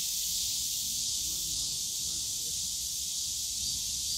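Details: Unbroken shrill cicada droning in the Yongsan Family Park bamboo grove during summer, with faint low murmurs of distant voices and park sounds underneath.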